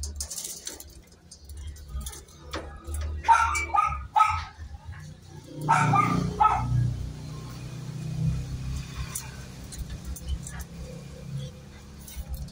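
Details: Miniature Pinscher during a natural mating stud session: short high whines and yelps come in bursts around the third and sixth seconds, mixed with broadband scuffling and rustling, then low rumbling background noise.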